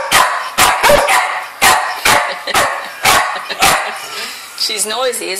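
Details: Dog barking repeatedly indoors, quick sharp barks at an uneven pace, with a human voice talking over the final second.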